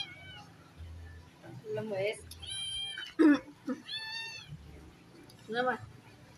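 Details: Twin kittens with different mothers playing; several high, harmonic meows, some drawn out and gently falling, others short, interspersed with human speech and a low background hum.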